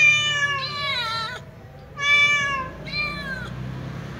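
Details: Small ginger cat meowing, perhaps calling to its mother: three drawn-out, richly harmonic meows, the first long and falling with a wavering end, the next two shorter and gently descending, over a steady low hum.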